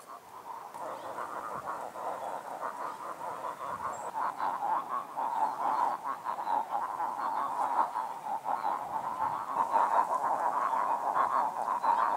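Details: Chilean frogs (Calyptocephalella gayi), the largest frog of Chile, calling at full volume in one of many lagoons at Lebu, Chile; dense overlapping chorus of rapid croaking pulses that builds slightly toward the end, with many voices at once.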